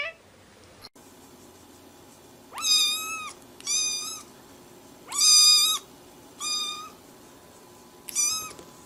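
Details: Kitten meowing repeatedly: five high, thin meows, each rising slightly then dipping at the end, spaced roughly a second apart over a faint steady hum, one brief click early on.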